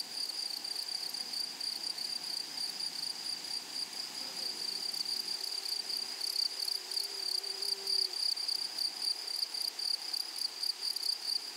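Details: Continuous high, thin insect trilling from grasshoppers in a flowering meadow, unbroken and even, with rapid pulsing. A faint low drone rises briefly near the middle.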